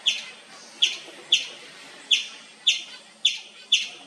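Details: Indian palm squirrel calling nonstop in the wild: sharp high chirps with a bright, clipped attack, repeated about every half second, roughly nine over four seconds, each chirp quickly fading, over quiet background hiss.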